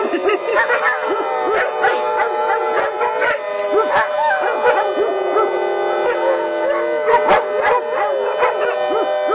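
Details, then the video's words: Several daycare dogs in Lucas County howl along with the monthly emergency siren test on a first Friday. The wavering, overlapping howls are punctuated by sharp barks, and a steady tone holds beneath them. "Doggie Daycare Monthly Siren Howling"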